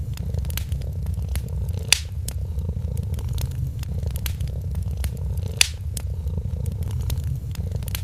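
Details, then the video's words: A sleeping kitten keeps up a soft, throbbing purr beside a Christmas fire. The burning wood crackles quietly, and two sharp pops stand out about four seconds apart. "Purring Kitten"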